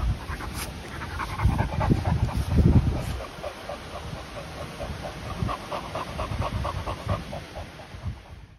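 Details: Continental Bulldog puppies, Rita aged ten months and her little brother Sumo aged two months, in Switzerland-bred lineage; rapid rhythmic panting breaths, roughly four per second, with low snuffling and faint household noise.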